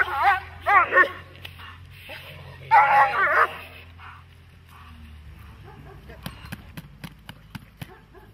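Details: Dog in protection training giving a few loud rasping barks in the first three and a half seconds, then near quiet with scattered sharp clicks and taps.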